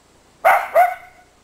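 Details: Miniature Dachshund at play in winter snow, one of two small doxies, lets out two quick high-pitched barks in rapid succession, the second trailing off, against a quiet background.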